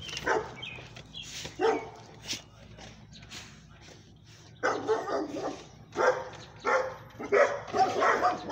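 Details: Staffordshire Terrier mixes, more than one dog, that attacked a pomeranian, barking in short bursts with gaps, then a run of several loud barks near the end, with a man's voice giving directions.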